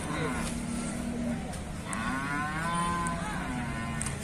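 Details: Hallikar cattle at the KG Temple cattle market, where farmers speak of preserving the breed; a low, drawn-out moo followed by a longer call rising in pitch, over steady crowd and market noise.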